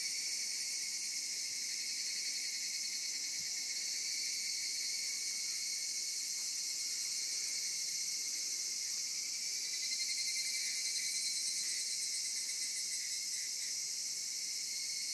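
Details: Unbroken high-pitched insect chorus in Zama in summer, a sustained shimmering drone with a steady band below it, swelling slightly in loudness near the end.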